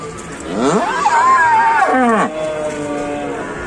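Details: A fierce bull or cow in an Indonesian cattle pen gives one loud bellowing moo that rises sharply, holds high and wavering, then drops, followed by quieter lowing and faint music.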